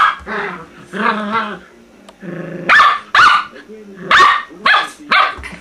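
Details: A Maltese mother and puppy let out a run of high, clipped barks in quick succession, each one bright and squeaky. Human speech is mixed in at the start.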